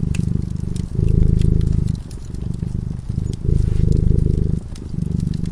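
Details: Domestic cat purring while asleep in front of a crackling fireplace; low, steady rumbling purr swelling and easing in alternating breaths about every second, with sharp pops and crackles of the fire scattered throughout.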